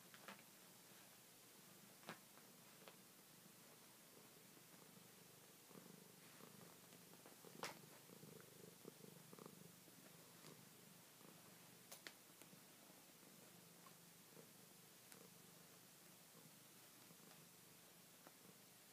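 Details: A red Siamese cat on a bed purrs softly and steadily, a low rumbling hum with faint rustles.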